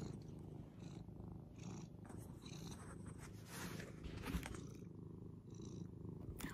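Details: Elderly adopted cat playing like a kitten indoors, purring in a steady, continuous low rumble throughout, with faint scattered rustles and clicks above it.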